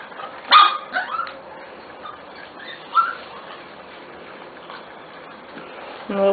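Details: Litter of Corgi puppies almost six weeks old giving several short high yips and whimpers, loudest near the start and end, with a woman talking softly between them over a steady background hiss.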